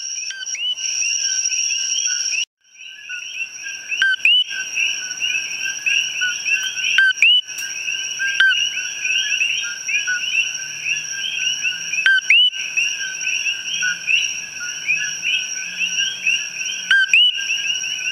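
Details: Common coqui (Eleutherodactylus coqui) advertisement calls in the wild, a calling male up close within a dense chorus: loud, high, two-note whistled "co-kee" over a steady ringing drone.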